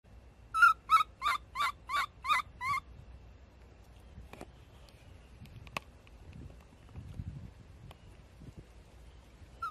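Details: Baby monkey Abee screaming: a quick run of seven sharp, high, wavering cries, about three per second, over the first three seconds, then quiet with faint rustling and a few clicks.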